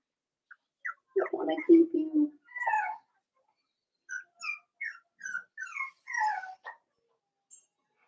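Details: Cavalier King Charles Spaniel puppies, five weeks old, in Daisy's indoor puppy pen: a run of short, high, squeaky whines, several per second, following a brief stretch of a person's voice in a small room.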